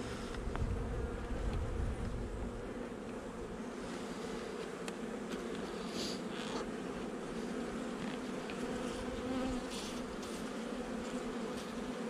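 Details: Steady hum of a honey bee colony, a nuc installed just over a month earlier, during an inspection on 8 July 2020. The buzzing is constant, with low thumps of handling early on and scattered light clicks.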